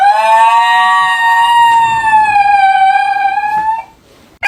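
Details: Dog making weird, funny noises: one long, steady, tonal howl-like wail lasting about four seconds, holding a mid pitch with a slight dip and rise before it stops abruptly, followed by a brief click.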